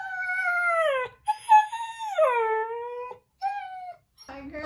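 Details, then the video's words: Talkative pet German Shepherd making his own funny sounds: sustained harmonic howling whines, each gliding slowly down in pitch, three drawn-out phrases separated by short gaps, ending with a brief rough noise. "Watch My German Shepherd Speak His Own Unique Language"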